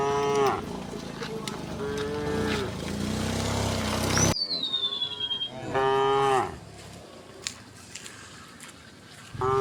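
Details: Tame cows heading across a morning pasture in soft sunlight: a series of deep, harmonic moos, some short and some stretched, with one low, rumbling moo, a thin descending bird whistle, and quiet outdoor background between calls.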